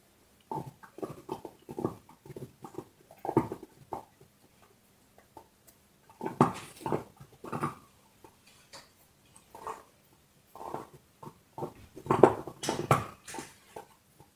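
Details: Indoors, a dog works on a bone with bouts of rapid crunching and gnawing, each bout a few seconds long, broken by pauses, with a louder, denser flurry of crunches near the end.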